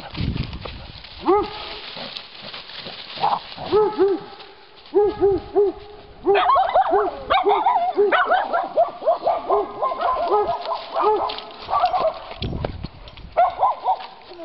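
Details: Giant Schnauzers, including 16-week-old puppy Moose, on a woodland walk in Battle Great Wood, Sussex, with Miniature Schnauzers also present; bursts of sharp, tonal, high barks and yelps in quick runs, several dogs overlapping, brief pauses between flurries.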